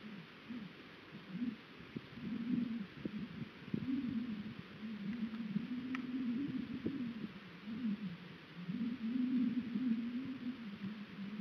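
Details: An American bison named Chief, from a herd of 37 on an eastern Oregon high-desert ranch, plays with a 125 lb mineral tub, giving deep, wavering, moaning grunts in bouts of a few seconds, with knocks and thumps between.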